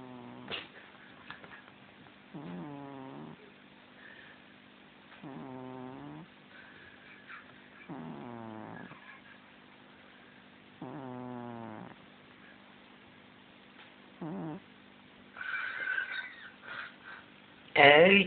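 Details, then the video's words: A domestic cat snoring, recorded on a mobile phone: four slow, rasping, buzzy breaths spaced about three seconds apart, followed by a shorter snore, then rustling and a person's voice near the end. "Harvey the incredible snoring cat"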